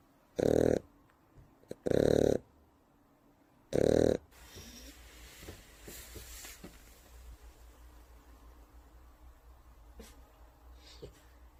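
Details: A three-month-old Shar Pei puppy snores in its sleep: three loud, rasping snores within the first four seconds, then quieter breathing and soft rustling for the rest.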